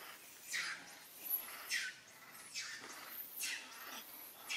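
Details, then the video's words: Monkey cries from a scene in which mother monkey Alika calls Papa Kang Kep for help: shrill, falling squeals, each about half a second long, repeated roughly once a second against quiet background hiss. "Poor Mother Monkey Alika | Call Papa Kang Kep for help"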